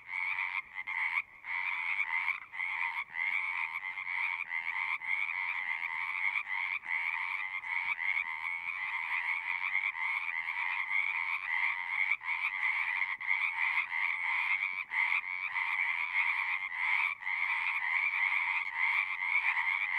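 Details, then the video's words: A steady massed chorus of frogs at a pasture pond, captured on a Zoom recorder: unbroken trilling croaks layered together for twenty seconds, with only a few brief dips early on. "Frogs singing"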